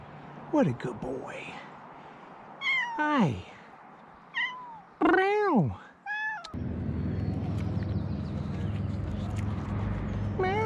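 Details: Rescued cats meowing, a series of loud, harmonic meows that rise and then fall, several overlapping in the first six seconds, followed by steady low background noise.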